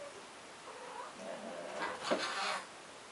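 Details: Ginger house cat making weird noises on seeing a fly; a short run of soft, wavering chirps and chatters building to a brief brighter burst before fading, indoors.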